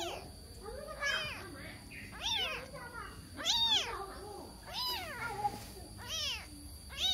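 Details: Lost kitten calling for its mother, giving repeated arched, high meows roughly once a second, some overlapping, with a faint steady high whine and soft background murmur.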